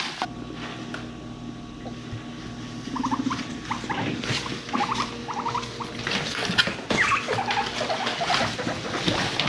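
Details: Frisky domestic guinea pigs chasing one another and rumblestrutting indoors; short bursts of quick rising squeaks among scuffling and rustling, with a low droning rumble beneath.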